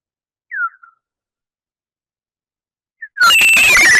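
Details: A big brown bat recorded by a bioacoustic monitor near bat boxes at the Wampanoag Common Lands, echolocation pitched down to human hearing: brief downward-sweeping chirps, then a dense, harsh burst as call rate rises while zeroing in on prey.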